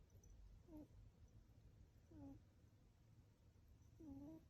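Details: Sleeping cat snoring softly indoors, with faint whistling nasal tones on each breath about every one and a half to two seconds, three breaths in all, over a low steady background hum.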